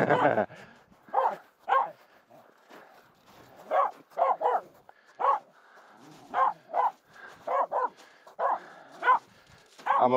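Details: Snow pack crossing on Mulen with a female Finnish Spitz, Aamu, barking at two close reindeer; loud irregular barks, singly and in pairs, over about ten seconds, with a person's voice faintly mixed in.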